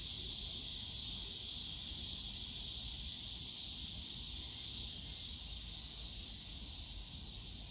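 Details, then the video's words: Many cicadas buzzing together in the Yongsan Family Park bamboo grove on a summer day; the high, hissing drone holds steady, then slowly softens toward the end, with distant low park noise underneath. "용산가족공원 대나무숲 매미소리"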